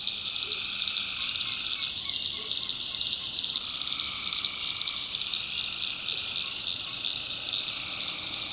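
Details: Tree frogs at night in a North Carolina backwoods swamp produce a thick, steady high trilling wall of sound, with softer lower pulsed calls drifting in and out and a few faint deep croaks.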